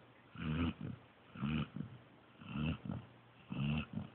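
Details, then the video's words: A pointer puppy, Joby, snores in deep sleep: four strong, buzzy snorts with a clear low voiced tone, spaced about one second apart, each followed by a softer breath out. "Snoring Pointer Pup"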